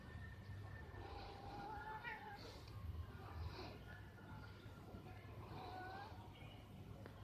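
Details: Pair of cats courting in a tree, recorded 11/04/2021: drawn-out, quavering caterwauls slide up and down in pitch, overlapping in places, while a constant low hum of distant traffic fills the background.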